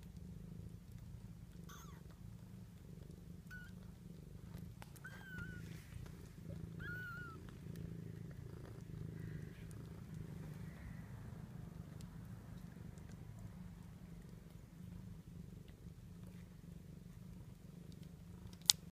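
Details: Lucy's 2-day-old kittens nurse to a soft, even purr that rumbles on without pause. Several tiny high wavering mews from the newborns rise above it, and there is a sharp click at the very end.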